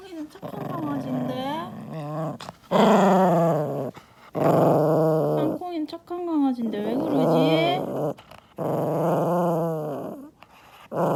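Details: A furious pet poodle growling angrily: voiced, wavering growl-whines rising and falling in pitch, in bursts of about two seconds with short gaps, mixed with a person's voice.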